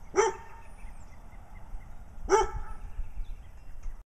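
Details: Two sharp, bright barks about two seconds apart from a brown dog in Wadena, Minnesota, barking for attention next to a playful black-eye-patched companion named Stella; low indoor hum between barks.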